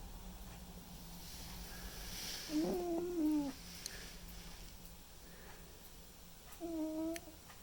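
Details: Two soft, tonal snoring breaths from a sleeping white and ginger male cat named Mimi, about four seconds apart, with a faint whistling hum against quiet room hiss.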